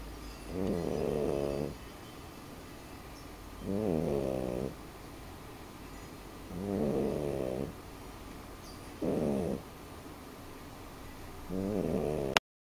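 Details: Sleeping French Bulldog snoring steadily, five throaty, buzzing snores repeating roughly every two to three seconds with quiet pauses between them.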